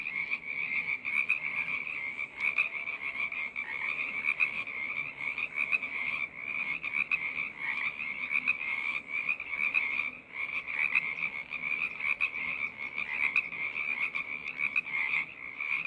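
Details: A frog choir in full voice: countless overlapping high trills merge into a steady, buzzing chorus, rising and falling slightly in loudness across the whole stretch.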